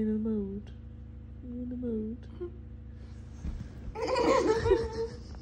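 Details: A moody female Labrador retriever gives two drawn-out, low moans as a person moves, followed by human giggling and laughter.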